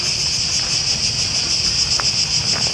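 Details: Cicadas in Greece in early September, very many of them, their song deafening: a dense, continuous high buzzing that holds steady throughout, with faint low rumble beneath.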